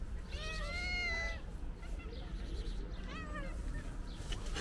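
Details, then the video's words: Calico cat meowing loudly, as if wanting to tell its owner something: a long drawn-out harmonic meow, level then falling, followed by a shorter, fainter meow around three seconds, over low background rumble. "Calico Cat Meowing Loudly Wants To Tell Me Something"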